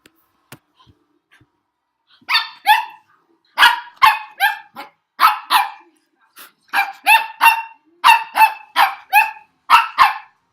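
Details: Puppy going crazy in reaction to a weird noise made by its owner: after two quiet seconds, a run of high, sharp, harmonic barks, often in quick pairs and triplets, continuing steadily to the end.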